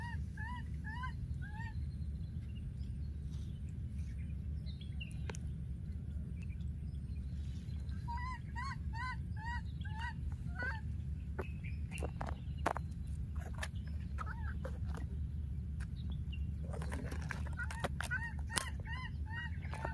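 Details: Baby monkey in the wild, separated from its playmate, keeps calling with quick series of short rising-and-falling whimpers in several bursts, with occasional clicks and a constant low rumble behind.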